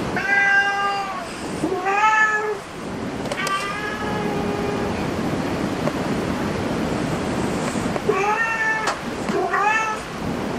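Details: Domestic cat in a cat cafe meowing repeatedly, clear harmonic meows at the start and again near the end, with steady room noise between calls.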